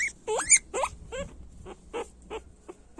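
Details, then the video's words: Guinea pig sounds: a couple of rising whistled squeals followed by softer, shorter chirps fading out, with faint background hum. "Sonido de Cuy Chillando fuerte"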